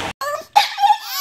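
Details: French Bulldog 'talking': short, whiny, wavering vocal sounds rising and falling in quick bursts, after a brief word from a person.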